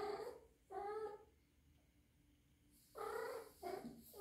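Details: Rescued three-month-old kitten kept indoors, possibly in heat, calls in short rich harmonic yowls, two bursts then a longer cry followed by a quick wavering one, with quiet pauses between.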